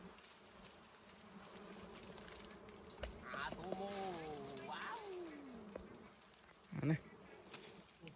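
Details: Honeybees around a wild hive during honey harvesting: faint steady hum with several passing buzzes gliding down in pitch, plus a brief louder thump near the end.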